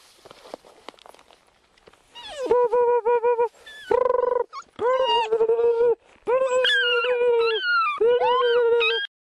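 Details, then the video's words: Small pet dog howling when someone whistles or howls, in a series of sustained howl notes broken by short gaps, some wavering, some climbing higher toward the end, with faint clicks and noise beforehand. "Cute dog making cute sounds when his owner whistles"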